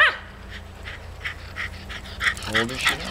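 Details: Diva, a 12-year-old female Wire Fox Terrier, protests as party guests leave: a run of short, evenly spaced high yips, then a wavering, harmonic whining moan near the end over a low indoor hum.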